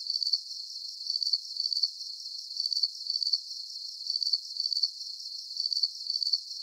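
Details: Calming cricket chorus with shrill, trilled chirps in bursts of two or three, roughly every second, over a faint high hiss; no other animals or noise.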